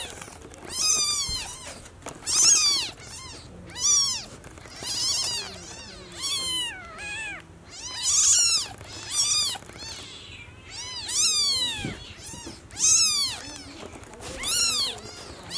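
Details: Mother cat named Como, carrying her newborn kitten to the nest, indoors; high, arching meows about every one to two seconds, each rising then falling, loud and insistent, with short quiet gaps and faint room noise between.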